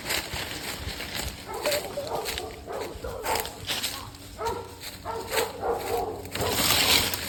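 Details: Hunting dogs working a wild hog hunt in the south Florida swamps along the St. Johns River. They give rapid, harsh barks in irregular bursts over a steady hiss and background noise.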